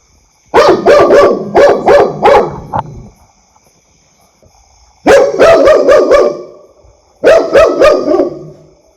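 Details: Three loud, quick volleys of barking from a pet dog, each burst holding four or five sharp barks, with near-silent gaps of a few seconds between them.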